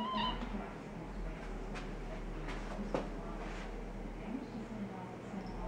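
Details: A domestic cat indoors, watching an orange tabby cat sitting outside a dining room window, gives a short, brief meow at the start, followed by quiet room noise and a low steady hum.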